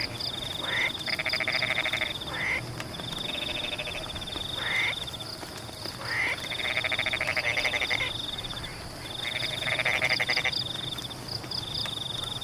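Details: Frogs call in bursts of rapid, rattling pulses over a steady high insect-like trill and the hiss of rain falling on rice-paddy embankments.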